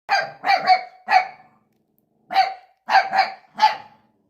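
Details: Puppy barking at his own reflection: high, sharp yaps in quick clusters of two or three, with a pause of nearly a second mid-clip, no other sounds.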